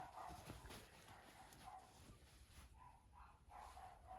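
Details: Two-week-old puppies playing with gentle older female dog Mocha beside their litter: soft, high whining squeaks repeated roughly every half second, over low rustling and shuffling.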